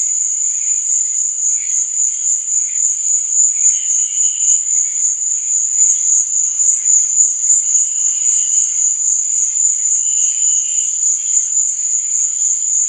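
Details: Crickets at night in a sleep and relaxation nature recording: a dense, continuous high-pitched shimmering trill with a steady pulsing rhythm, about 220 pulses a minute, with fainter lower chirps drifting in and out.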